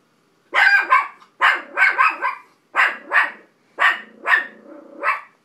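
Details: Billie Holiday, a pet dog, barking at dogs on TV: seven sharp, bright barks in quick pairs and triplets over five seconds, with a low steady drone lingering between bursts.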